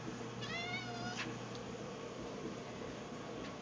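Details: Edward, a pet cat waiting in a dim pantry by the food bowls, gives a drawn-out harmonic meow that rises then falls, followed by a shorter faint call; a person chats to him before, steady low hum underneath.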